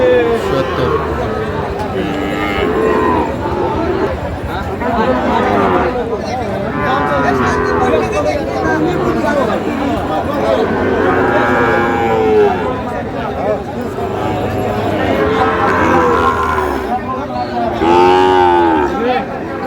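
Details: Sahiwal bull calves at a busy cattle market in Kushtia, Bangladesh, on 8/5/25: several drawn-out, wavering moos rise and fall, loudest near the middle and the end, over steady crowd chatter and men's voices bargaining.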